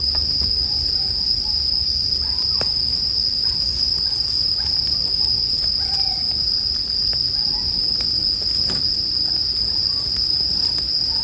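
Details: Bell cricket chorus meant for relaxing sleep with fire sounds: an even, piercing high whine runs steadily, overlaid by soft frequent ticks and crackles of a burning bonfire.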